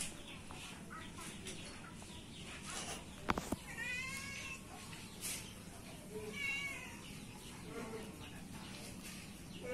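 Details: A fierce domestic cat, teased in play and scratching back, gives wavering, drawn-out meows at about four and six and a half seconds, amid people talking and a sharp knock.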